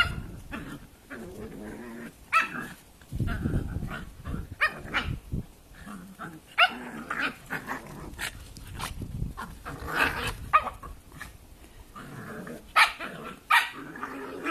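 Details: Two Cavalier King Charles Spaniel puppies, tricolour Holly nearly three and ruby Arlo one, playing together: low rumbling growls and scuffling with occasional short yaps, bursts spread through the clip amid shuffling noise.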